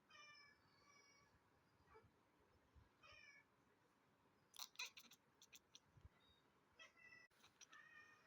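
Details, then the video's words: Cat reacting to pigeons at a window: soft, high, chirpy meows repeated in short runs, with a few clicks and brief rustling between calls in a quiet room. "जब खिड़की पर आए कबूतर तो cat का reaction"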